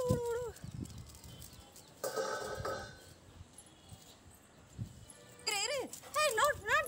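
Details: Labrador and golden retriever dogs playing and play-fighting on a terrace; high wavering whines, one short at the start and a run of arching rise-and-fall whimpers near the end, with a burst of noise and voices in between.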